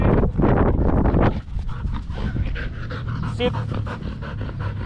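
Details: Belgian Malinois playing fetch in Cebu, Philippines: heavy panting breaths, strongest in the first second and a half, then quieter rhythmic breathing with a brief faint voice.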